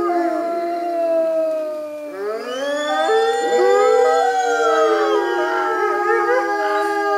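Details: North American gray wolf pack at a wolf center howling together in a long session; several overlapping smooth tonal howls rise and fall, some wavering, forming a dense chorus with layered voices throughout.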